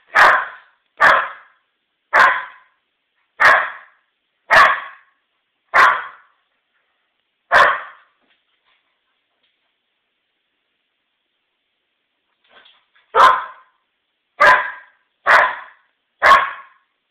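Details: An eight-month-old Old English Sheepdog puppy, indoors, barks at a stem of lilies brought in from the backyard, guarding against the unfamiliar flowers. Sharp single barks come about once a second, seven in a row, then a pause, then four more.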